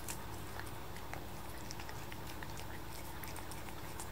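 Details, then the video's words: Seven-month-old kitten lapping at paste inside, giving a quick run of moist ticking licks and faint smacking sounds against a constant low background hum. "Cat licking paste relaxing ASMR"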